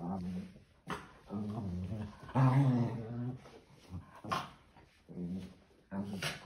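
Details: Maltese dog at playtime, giving short low rough growls in bursts of under a second, spaced roughly a second apart, with brief higher scratchy noises between the bursts.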